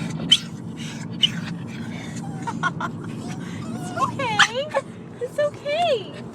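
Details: Three pet dogs, excited on the way to see their grandma and grandpa, whine in high wavering tones that slide up and down, with short yelps clustered in the second half over a steady low rumble and a person talking.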